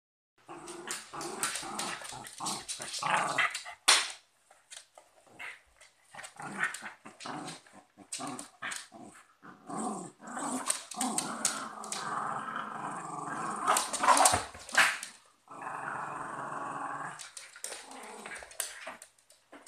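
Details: Cocker spaniel and westie fighting, with rough snarling growls broken by sharp snaps and yelps, bursts coming and going in uneven clusters with short quiet gaps.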